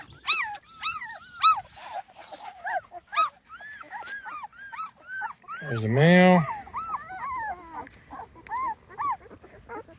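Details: Young Small Munsterlander litter, 2.5 weeks old, on its first outing outside: a steady stream of short, high, arched whimpers and squeals, broken midway by one loud, lower, wavering cry before the squeaking resumes.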